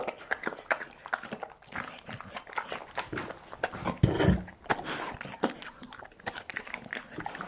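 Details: Dog eating home-cooked food indoors, briefly heat-treated meat with curd; irregular wet chewing, smacking and crunching bites scattered through, with a louder burst of chomping midway in a small room.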